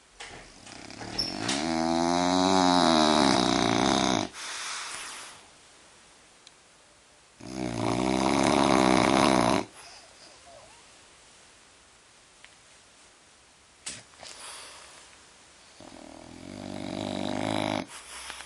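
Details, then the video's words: Sleeping French bulldog snoring in a small room: three long rattling breaths several seconds apart, each buzzy and rough, the first rising and falling in pitch, with near-silent pauses between. "Bulldog frances roncando"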